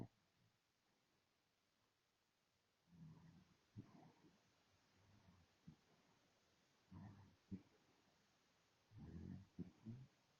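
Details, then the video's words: Dog snoring, low rough breaths in bursts near 3, 4, 7 and 9 seconds, separated by quiet pauses, with a hum in the background. "Snoring dog."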